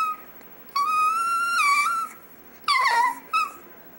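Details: A pet chihuahua named Dexter "singing" indoors: a drawn-out tonal howl around one second long with a slight rise, then a falling, wavering note and a short final yelp, all with rich harmonics.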